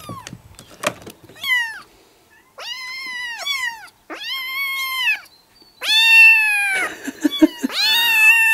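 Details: Several young domestic kittens, four to five weeks old, living in a yard, meow at once in June: high arched harmonic cries, some rising then falling, in overlapping bursts about two per second with short gaps.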